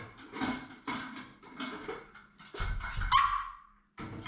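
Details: Maltese named Jamong, a male born December 2015 in Gwangju, while eating: a few soft short yips and grunts, then a higher, drawn-out whine that slides down in pitch before a brief final yelp, with a steady faint tone behind.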